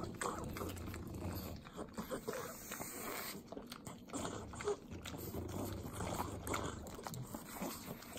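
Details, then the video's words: Three pugs eating butter as a treat in Southern California's Inland Empire; sloppy licking and smacking with soft chewing and snuffling, irregular wet clicks throughout. "ASMR Pugs Eating Butter - Calming Sounds of Sloppy Licking, Snorting"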